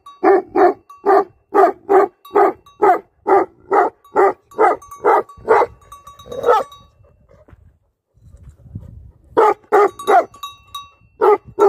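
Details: Livestock guardian dogs barking steadily, a long regular string of heavy barks about two per second, a quiet gap with low rumbling, then the barking resumes.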